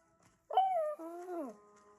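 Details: A pet German Shepherd gives a brief, tonal howl that slides gently downward before breaking off, howling along to a German Shepherd howling with timber wolves from Zootopia.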